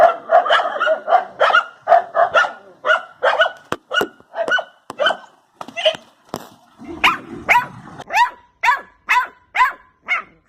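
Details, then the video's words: Dog barking in quick bursts, about two barks a second: deeper, fuller barks at first, then sharper, higher yaps in the second half, with a brief low rumble in between. "Dog Barking Sound Effect"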